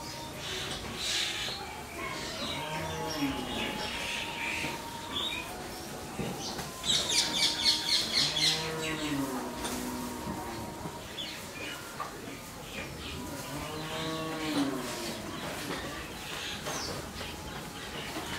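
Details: A 12-month-old Friesian heifer on a farm in Pabna, Bangladesh, moos three times, each a drawn-out arched lowing about five seconds apart, while small birds chirp and twitter steadily in the background.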